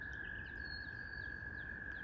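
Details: In spring, a distant chorus of tiny spring peeper frogs at a pond forms a steady, high, ringing drone of overlapping peeps.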